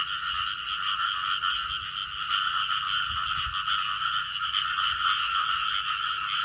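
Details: Continuous frog chorus, a dense buzzy drone in two steady bands at middle and high pitch, unbroken for the whole stretch with faint low rumbling beneath.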